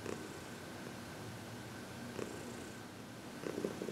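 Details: Heidi, a happy 14-year-old female senior cat adopted from the Humane Society of New York City, purring during massage and reiki on February 22, 2021; a steady low rumbling purr with brief louder pulses near the start, middle and end in a quiet room.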